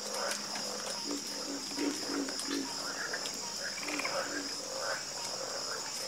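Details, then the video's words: A chorus of frogs croaking, with short knocking croaks and scattered higher chirps overlapping throughout, over a steady high-pitched whine of insects. "Calming Sound Of Harmonious Frog Croaking"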